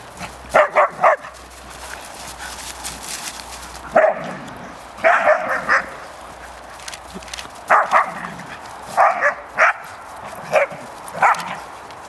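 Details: Cash, Vinnie and Champ playing, Cash putting the teasing young dogs in their place. Sharp yelps in clusters of two or three recur every second or two, with a rough background rustle between them.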